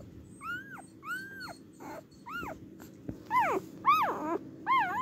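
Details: Cardigan Welsh Corgi on its day of giving birth, filmed 29 March 2024: a series of high, arched whining squeals that rise and fall, about a dozen in five seconds, coming in uneven bursts that grow louder toward the end over a faint steady hum.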